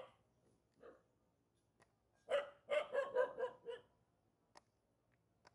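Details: Village dog living near a mountain barking, unhappy at meeting people: one soft yelp, then a quick burst of five or six sharp barks in under two seconds, with a few faint clicks afterward.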